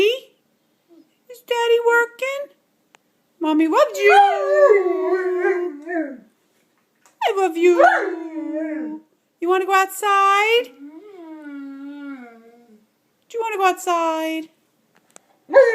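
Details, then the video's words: Hansel, a 15-month-old Bernese Mountain Dog indoors, howls back while his owner talks to him, seeming to say I love you. Drawn-out, wavering tonal moans rise and fall in several separate phrases with short gaps. "Dog talking back"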